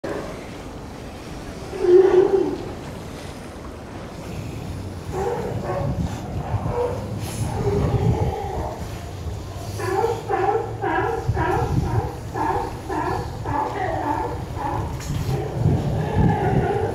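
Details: California sea lion females and pups in Monterey Bay, California, give rough, honking barks in quick repeated bursts over low surf, the calls mothers and pups use to recognise each other.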